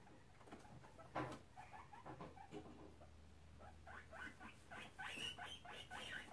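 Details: Two guinea pig boars chatter in a disagreement while inspecting the sows' cage. Rapid trains of short clicking, chirpy pulses come in irregular bursts and grow busier and brighter toward the end, over a low steady hum.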